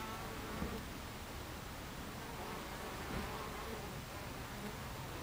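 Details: Many bees swarm around a hive entrance on a July 2013 afternoon, creating a thick, steady buzzing hum with low drones and no pauses across the short stretch.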